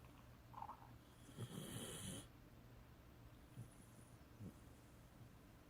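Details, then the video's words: A tired Beagle snoring while asleep, with one low, rough snore burst in the middle of the clip and soft, steady breathing noise otherwise; quiet recording. "Snoring Tired Beagle"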